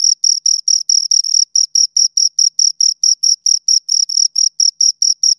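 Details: Two crickets chirping: a steady train of high, pure chirps, about four per second, each a short scraping pulse with a faint higher overtone, on a silent background with no other sounds.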